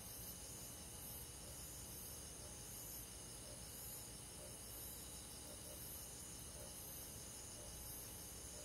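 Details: Crickets on a midsummer night in rural forest, heard as a steady high-pitched shimmering trill with fine pulsed bands, many insects calling together over a low continuous rumble.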